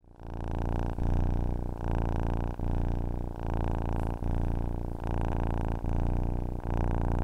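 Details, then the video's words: Domestic cat purring, offered as a sound for falling asleep: a steady low rumbling purr in long phrases broken by brief pauses for breath about every 0.8 seconds, alternating inhale and exhale, with no other sounds. "Ronronnement d'un chat pour s'endormir / Purring of a cat to fall asleep"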